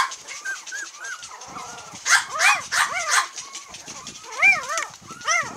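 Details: 22-day-old long-haired Miniature Dachshund puppy, a cream-coloured female from Kochi, Japan, recorded July 22. Soft whimpers build into a run of shrill, bent squeals, then quieter moans and a final string of sharp, arched yelps.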